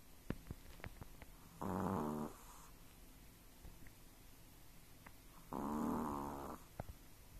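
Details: Sleeping Chihuahua-pug mix dog, dreaming, makes two nasal snoring whines about four seconds apart, each under a second long with buzzy harmonics, between faint clicks and snuffles in a quiet room.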